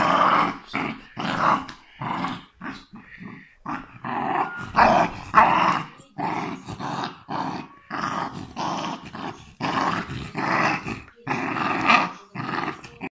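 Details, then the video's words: West Highland White Terrier growling and grumbling in a small room: a rapid series of short, harsh, throaty bursts, rising and falling in loudness, almost continuous over thirteen seconds. "the devil's voice of West Highland White Terrier"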